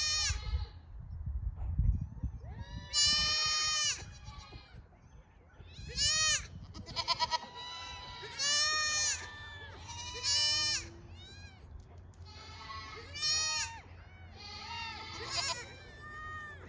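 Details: Registered Pygmy goats on a farm in Knoxville, Tennessee, USA, giving repeated high, wavering bleats with strong harmonics, several overlapping callers every one to two seconds, over low rumbling background noise.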